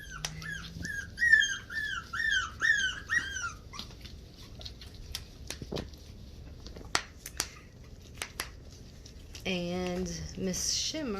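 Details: Havanese puppies, recorded 20 January 2020: a run of high, rising-then-falling puppy whines repeated about twice a second, a quiet gap with sharp clicks, then a lower, drawn-out whimper near the end, with faint speech.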